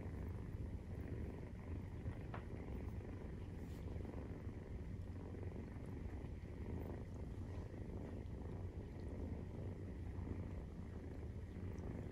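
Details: Nursing Maine Coon kitten at 43 days old, purring: an unbroken low throbbing drone over twelve seconds, with a faint background hum and an occasional soft tick.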